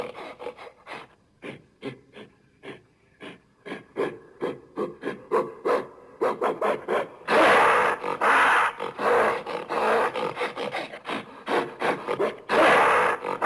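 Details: Gorilla making rhythmic rasping grunts that build into longer, louder roaring bursts midway, then settle back into irregular breathy pulses.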